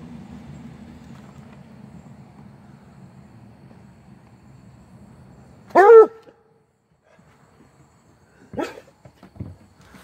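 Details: A Treeing Walker Coonhound puppy confronting a turtle, 28 May 2022, gives one loud, high yelping bark, followed by two shorter, softer ones.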